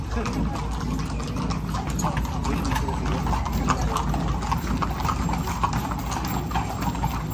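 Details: Parade horses in Zináparo clip-clopping continuously, crisp hoof strikes overlapping one another while people talk loudly nearby.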